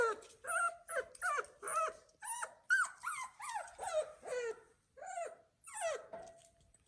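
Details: Newborn poodle puppies from a litter of nine, born to first-time mother Lulu on a farm, whimper and squeal in a steady series of rising-falling, tonal cries about every half second, with short pauses near the end.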